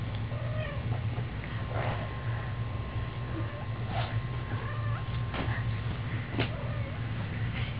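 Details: Kitten meowing indoors: several short, thin, wavering mews with gently rising then falling tones, spaced a second or two apart over a steady low hum.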